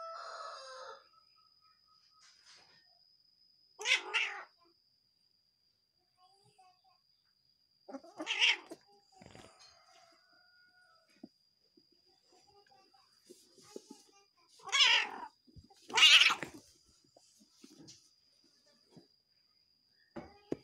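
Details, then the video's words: Angry domestic cat, annoyed with its partner, giving four short, harsh, noisy hissing bursts near 4, 8.5, 15 and 16 seconds, separated by quiet gaps, over a faint steady high-pitched tone. "Ekspresi Kucing Marah Sama Pacarnya"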